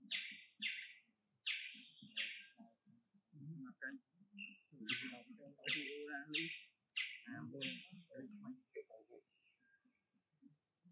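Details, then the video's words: Young orphaned monkey asking for more food with its small voice. Short high squeaky chirps come in irregular clusters, some rising and falling, over low murmuring human speech nearby. "Monkey Baloo used his small sound to ask for more food to eat"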